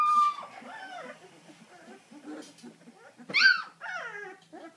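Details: Deutsch Drahthaar hunting dog at a kennel in Romania: drawn-out, wavering whines that slide up and down, with a loud rising whine midway, in a quiet room.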